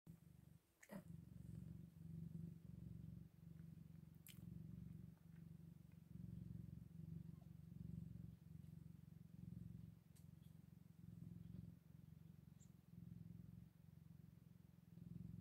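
Eight-day-old Scottish Fold kittens give a deep, continuous purr that throbs in quick, slightly irregular pulses. A few faint clicks and handling noises break through now and then.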